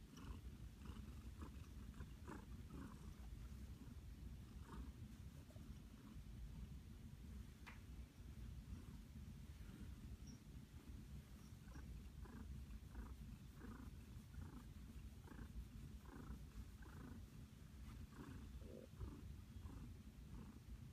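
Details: Flower, a pet cat lying contentedly in a blanket nest, gives a loud continuous low purr with a rhythmic pulsing texture, lasting unbroken throughout, with light rustling in the background.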